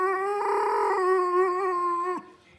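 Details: Older male Pudelpointer dog 'talking' out of frustration because he wants to go outside: one sustained, steady, mid-pitched howl-like moan with rich harmonics, slightly louder in the middle, ending abruptly after about two seconds.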